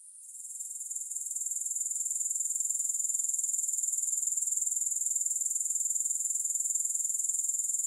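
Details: A continuous shrill insect trill from grasshoppers, with no music. It fades in over the first second or two, then holds as a bright, evenly pulsing high hiss with a steady rhythm.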